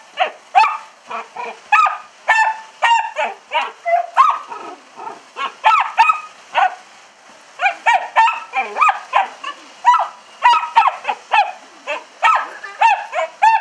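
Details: Buddy, a pet dachshund, excitedly barking at a window being squirted with hose water while licking and biting at it; rapid sharp barks in bursts, roughly two to three per second, with brief pauses, recorded on a cell phone.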